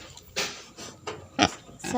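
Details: Farm-raised wild boar hybrid pig, a male from a herd kept by farmers, giving four short harsh grunting squeals at roughly half-second intervals, the third loudest, against faint background hum.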